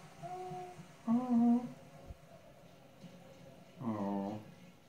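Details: Boo, an Old English Sheepdog, talking to the family's dad indoors: short tonal moaning hums, a higher whine, then a longer wavering groan, with quiet room noise between.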